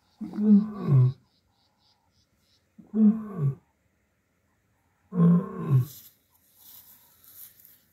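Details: Young male lion contact calling in Kruger National Park; three deep, moaning calls, each a low grunt sliding downward and lasting about a second, spaced roughly two and a half seconds apart, with faint rustling afterward.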